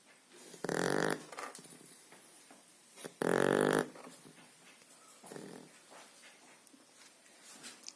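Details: Sleeping blue Shar Pei puppy aged two and a half months, snoring indoors: two loud buzzy snorts near one and three and a half seconds, followed by softer, fainter breathing sounds.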